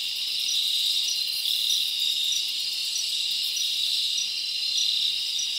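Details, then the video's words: A continuous high, shimmering insect drone from crickets in a forest on a summer night, with faint brief chirp accents over the steady chorus. "Live Crickets Natural Sound"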